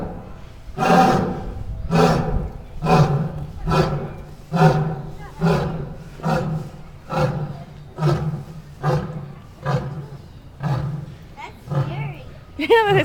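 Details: A zoo lion, possibly a female, roars in a steady run of deep, throaty, breathy grunts about once a second, each a heavy low pulse, softening slightly as the series goes on.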